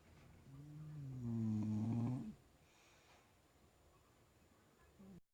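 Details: Sleeping bulldog snoring indoors: one long, low, droning snore swelling for about two seconds with a harmonic buzz, then quiet breathing and a faint short snort near the end.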